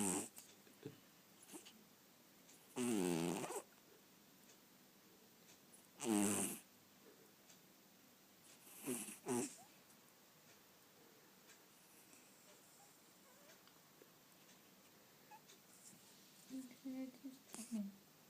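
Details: A cat snores while sleeping indoors at night, giving soft, breathy rasping bursts about every three seconds, then fainter, quicker breaths near the end in a quiet room.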